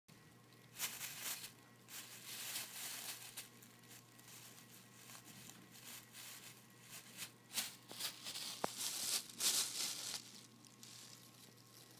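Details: Rustling, crinkling and tearing noises come in bursts in a small room, with no animal voice heard.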